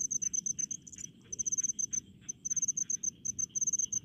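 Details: Crickets in rice paddies chirping loudly: clipped high pulses repeated rapidly in short trains with brief hesitations, backed by a low murmur of other insects.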